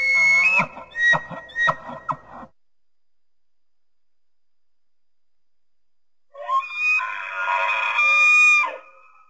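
An elk gives high, whistling calls with a rough edge, followed by a long shrill scream.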